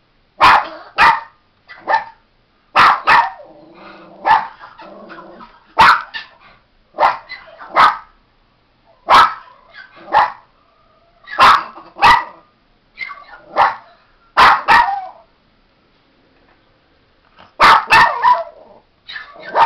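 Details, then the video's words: Miniature Pinscher barking in sharp, high-pitched bursts, often doubled, repeated irregularly through the recording with short pauses between volleys and faint growly sounds in one gap. "Min Pin Barking"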